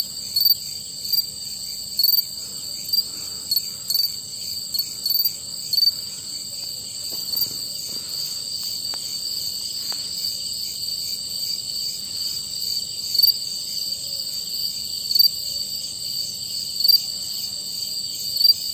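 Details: Crickets trill in a steady high chorus in the dark while one nearby male cricket chirps louder, about every second and a half, singing to attract mates.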